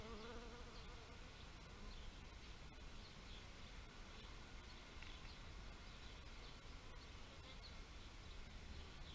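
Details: Steady, dense low hum of bees, with a close buzzing pass at the very start that fades within a couple of seconds, and soft high chirps dotted through the background.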